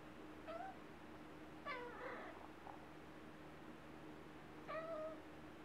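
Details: Wylla, a talkative little cat, utters three short meows: a brief chirp-like mew, a longer downward-sliding call with a breathy tail, then a final clear meow, with quiet background hum between.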